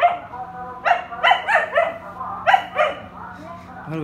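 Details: Samoyed dog, seemingly irritated, during a joint howling session; a string of short, wavering yelping howls about every quarter second, then a brief pause and a rising whine at the end, indoors.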